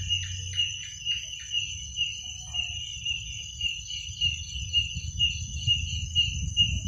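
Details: Crickets calling at night: a steady, high shrill trill with a second fainter tone above it, pulsing roughly twice a second, with a few short chirpy notes early on and a low rumble underneath.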